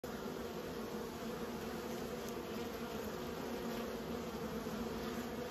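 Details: Honey bees kept by a beekeeper, giving a steady, dense droning hum with low, layered tones that hold even and unbroken throughout, with no other clear sounds.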